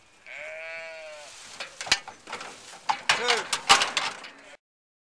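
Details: Nude Ewe Wensleydale sheep being scanned on a farm: one clear quavering bleat lasting about a second, followed by clattering and knocking handling noises and a short voice in the background.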